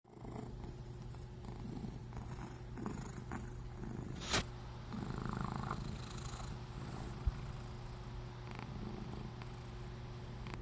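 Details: A small fat cat snoring, a steady low rumbling purr-like drone throughout, with a brief sharp click near the middle and faint room noise.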